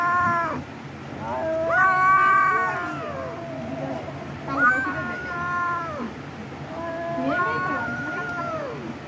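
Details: Pet cat calling with a series of four long, slightly whining meows, each bending upward and sliding down at the end, spaced about two seconds apart over a low hum.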